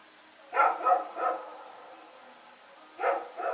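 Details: At night on September 21, 2018, Rex and a companion dog run around barking; a quick triple of harsh barks opens, then a pause and two more barks close together near the end.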